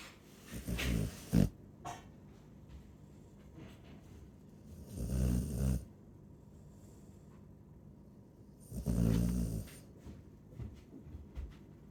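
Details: A Chow Chow snoring indoors: deep, rumbling low snores that come in three long bursts about four seconds apart, each with a rough, rattling breath and quiet pauses between.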